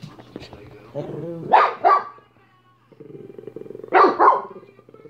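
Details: Minnie, a dog, barking: two sharp barks around 1.5 s and another loud pair near 4 s, separated by quieter low rumbling background sounds and a steady low hum.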